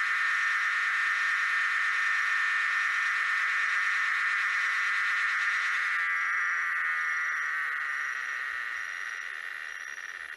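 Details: Tosena albata cicada, among several cicada species combined, main recording of this species: a continuous dense buzzing drone, steady and loud for six seconds, then fading gradually with faint high ticking pulses repeating roughly every second.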